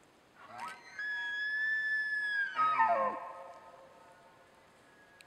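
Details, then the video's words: A 5x6 bull elk near West Thumb Geyser Basin in Yellowstone at sunrise on September 25, 2011, having just thrashed a small tree, bugles: a rising, flute-like whistle held steady, then dropping into grunting chuckles. "Bull Elk thrashing tree and bugling"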